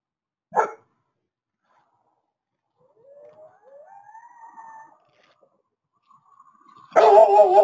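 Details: At night a female Great Pyrenees, teamed with a male Anatolian Shepherd as livestock guardians, gives deep, sharp barks at coyotes approaching the herd, with a faint rising howl between.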